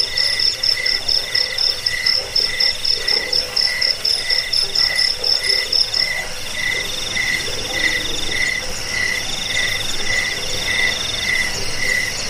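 A cricket gives rapid, regularly repeated high chirps in short pulsed bursts.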